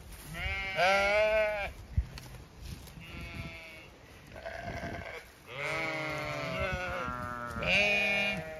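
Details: Chatty Zwartbles ewes on a County Kilkenny farm, Ireland, in autumn among oak leaves: four loud, tremulous bleats from several sheep, spaced by short pauses, with soft rustling between them.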